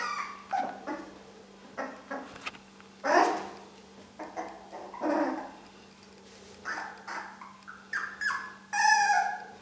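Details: Four-week-old Long-haired Dachshund puppies giving short high yips and squeaky barks, scattered bursts with brief pauses between, a few overlapping at once, a steady low hum underneath.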